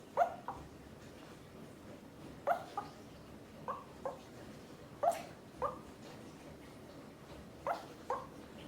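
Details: Male Pomeranian asleep, known for very loud snoring, talking in his sleep: soft, brief whimpering yips scattered irregularly, about ten short squeaks over several seconds against a quiet background.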